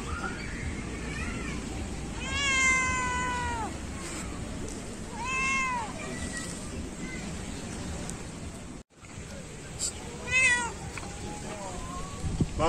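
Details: Very loud cat begging for treats on a beach: three long, wavering meows spaced a few seconds apart, the first the strongest, with constant rushing wave noise and a person speaking in the background.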